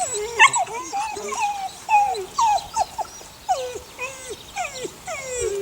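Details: Eight-week-old puppies, a litter of six from the neighbour's dog Sunny, give repeated falling whimpers, each a short whine sliding down, spaced irregularly about every half second to second, with soft rustling between.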